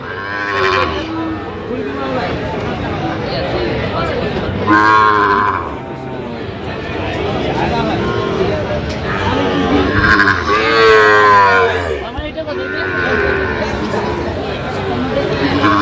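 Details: Sahiwal bull calves on sale at a cattle market, 8 November 2025, with a Dhaka farmer buying: four separate bawling moos, about one every three to five seconds, some rising and falling, over constant human chatter and crowd noise.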